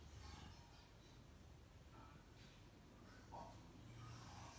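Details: A cute cat recorded up close while relaxed and content: a steady low rumbling purr with soft breathy snorts and brief faint higher rustles over it.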